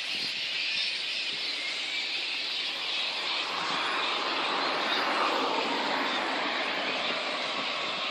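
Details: Little red flying foxes at their roost in Boonah, Queensland, Australia, on 19 February 2014, before a dispersal in which council and contractors disturbed them. A dense, unbroken wall of high chattering and squabbling from many bats fills the recording.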